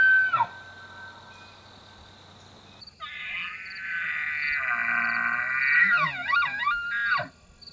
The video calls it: Elk Bugling During the Rut Season